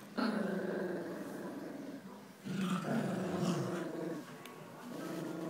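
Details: Two Jack Russell Terriers, Jax and Rosco, playing tug-of-war indoors: continuous low rumbling growls with a pulsing, rattling texture, surging in loudness in bursts, no other clear sounds.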